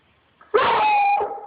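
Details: A 1-year-old female Treeing Walker Coonhound, begging to play, 'talks' with a short, steady, mid-pitched howling yowl that rises sharply at the start.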